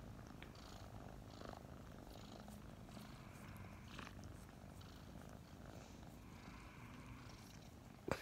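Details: Two snuggling kittens, Mint and Mocha, around five months old and recently adopted, purr steadily in the morning; a soft low rumble continues with faint rustling and a short bump at the very end.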